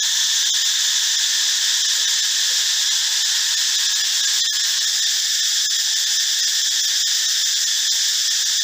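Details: Cicadas of the family Cicadidae, males calling loudly in the forest, heard in the morning and sometimes at dusk: a steady, dense, hissing drone in several high bands, unbroken and even in loudness throughout.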